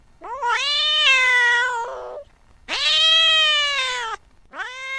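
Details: Long, rising-then-level wailing meows from a cat chasing a mouse late at night, two extended cries followed by the start of a third.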